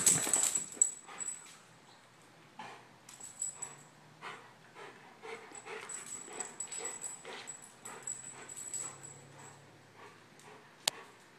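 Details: German Shepherd named Remmington, male, two years old and on daily medication, coming out of a grand mal seizure; soft breathy whimpers and panting bursts repeat irregularly over about eleven seconds, with a steady high electronic whine behind and one sharp click near the end.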